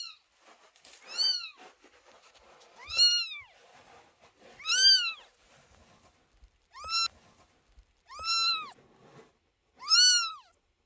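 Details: Kittens sit under the door meowing loudly, anxious while the mother cat Chloe gives birth; six arched, drawn-out meows, each rising then falling, come roughly every one to two seconds in a quiet room.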